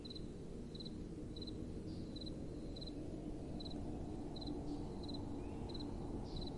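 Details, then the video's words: Crickets calling at night: bright, clipped chirps of a few rapid pulses each, spaced about every half second, above a soft, constant wind hiss. "Relaxing Night Time Sounds | Crickets & Soft Wind"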